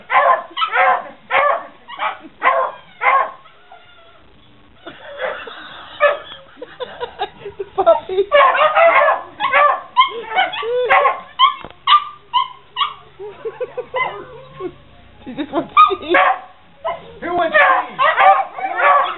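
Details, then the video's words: Beagle and Puggles replying to "Who wants cheese?": quick strings of barks and yips at the start and end, a quieter stretch of softer, lower sounds in the middle, then barking rising again. "Beagle and Puggles answer "Who wants cheese?""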